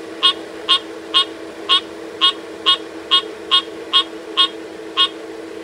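A frog gives short, sharp, high clicking notes, repeated about twice a second over a steady low hum.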